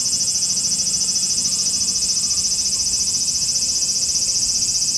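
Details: Cicadas in Japan, heard as a swarm: a dense, high, continuous buzzing drone with a fast, slightly pulsing rhythm and steady loudness throughout, nothing else clearly standing out.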